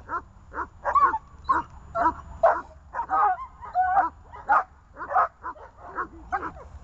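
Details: Three leashed dogs bark in quick overlapping volleys, about two sharp mid-pitched yaps per second, with a few whining, strained notes between bursts.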